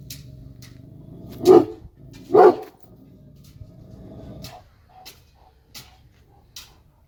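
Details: Kangal dog giving two deep, loud barks just under a second apart, followed by a few seconds of near quiet broken only by faint clicks and soft knocks.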